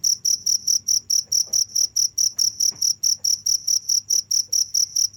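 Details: Non-stop cricket song of shrill, high pulses repeated evenly about twice a second, with faint scattered clicks and a low hum in the background.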